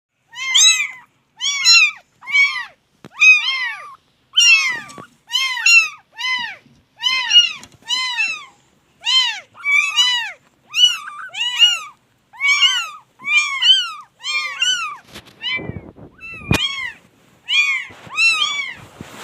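A chorus of kittens gives shrill, arching meows, each cry rising then dropping in pitch. The calls come almost every half second, with some overlapping as several voices join in.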